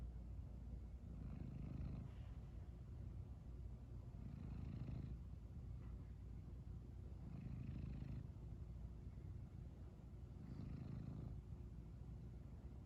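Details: Domestic cat woken from sleep, still purring: a low rumbling purr swelling into louder breathy bursts about every three seconds, each with a faint higher rasp on top.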